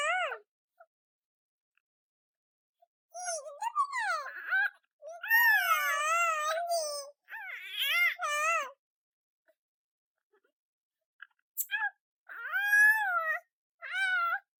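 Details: A kitten gives a string of sweet, drawn-out meows. They are high and wavering, rising then falling, and come in separate bouts with silent pauses between, in an otherwise quiet setting.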